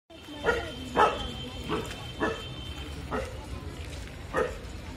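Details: Street dogs barking at another street dog: six short, sharp barks at irregular intervals of roughly one second, with a steady faint tone and light background noise.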